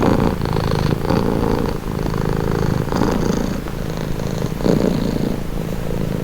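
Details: Continuous rumbling purr from a domestic cat, buzzy and low, with rhythmic swells tied to breathing about once per second and a short lull near the two-second mark.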